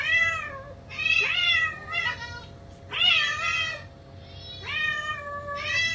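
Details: Two indoor house cats answering playback of their own voices, calling anxiously while searching; long drawn-out meows, some overlapping, bending upward then sliding down, several in six seconds over a low steady hum.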